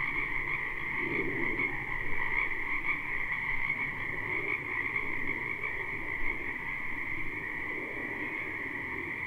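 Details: Spring wetland frogs croaking together, recorded live behind a house: a thick high-pitched trilling chorus runs without break while lower, nearer croaks pulse irregularly, roughly once a second, over the background.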